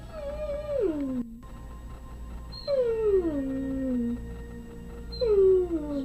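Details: A pet dog sings along to TV jingles and theme songs, giving long drawn-out howls that slide downward in pitch, three rising-then-falling wails over six seconds, with faint television music steady in the background.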